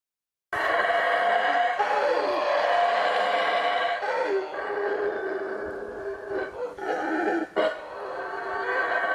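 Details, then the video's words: Howler monkeys at the Yaxchilan ruins, recorded in the morning: a loud, continuous, rough roaring chorus with dense harmonic bands, swelling and dipping, with brief breaks near the end. "Howler Monkeys at Yaxchilan"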